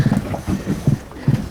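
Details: A red drum caught while fishing off Texas, held in hand out of the water, gives deep, muffled thumps in quick irregular clusters like a beating drum, with faint wind and water noise underneath.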